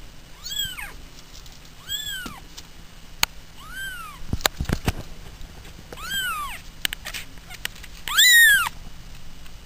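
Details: Pet cats at home giving a series of arched, whining meows, about five calls spaced roughly every one to two seconds, the last louder and harsher, with sharp clicks and knocks between them.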